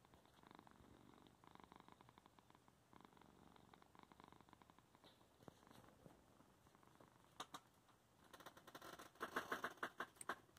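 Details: Garth, a domestic cat, purring indoors at home while blocking the keyboard as his owner works; a steady, breathy purr swelling and fading in cycles about once a second, with keyboard clicks and tapping growing louder toward the end.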